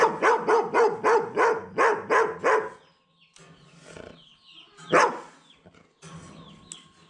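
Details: A German Shepherd, likely trying to scare the person across from it, barks loudly in a fast run of deep, harsh woofs, then gives one more bark.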